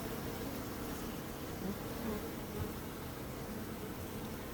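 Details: Bees buzz in a thick, constant low drone with slight wavering in loudness and occasional brighter whirring tones, with no other sounds.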